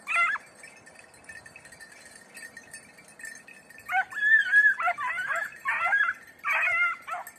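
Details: Beagle hunting hare in training on Crete; loud high yelping bays in quick bursts after a quiet spell, a lone yelp at the start, faint background hiss.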